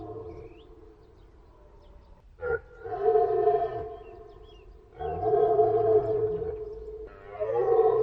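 A deer gives drawn-out, moaning calls, each held for one to two seconds.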